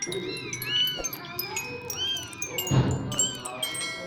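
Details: Kittens mewing: several high, arched, rising-then-falling meows repeated through the clip, overlapping one another, over a steady background of music and a low hum.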